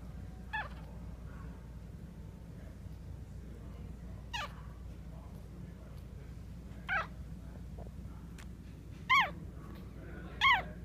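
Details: Maltese puppies offered for sale in Clearwater, Florida: sparse, thin high whimpers, each a quick rising-then-falling whine, about five across ten seconds with quiet gaps and a steady low hum beneath.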